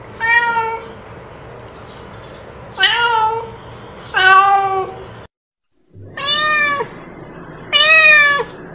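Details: Free-roaming village cat calling its companion with long drawn meows, rich in harmonics and slightly rising then falling, five calls spaced irregularly about one to two seconds apart, with a brief silent gap midway.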